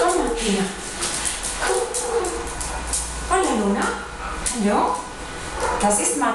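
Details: Dog giving a run of whining, yelping cries that slide downward, several within six seconds, over steady background hiss and some voices.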